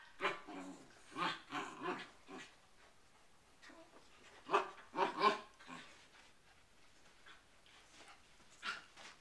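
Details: Poodles with cabin fever barking in a series of sharp, bursting barks, clustered in twos and threes with short quiet gaps between, one final bark after a longer pause.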